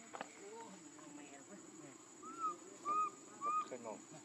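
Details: Baby macaque named Leo crying as he begs his mother for milk: three loud, clear arched whistling cries in quick succession, each rising then falling, about half a second apart, over a murmur of background voices and a steady high electrical tone.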